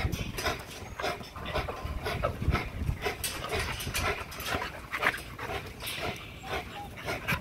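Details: XL American Bully pitbull hanging on a heavy-duty spring pole during an extreme muscle-building workout; rough, breathy panting bursts repeat irregularly throughout, with scuffing and rattling from the exercise underneath.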